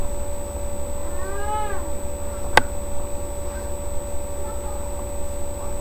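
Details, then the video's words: Domestic cat Sasha giving birth to her kittens on 14 May 2011, three kittens in all: a single drawn-out meow rising then falling, lasting under a second, followed by quiet with a steady electrical hum and one sharp click. "My cat Sasha having her kittens"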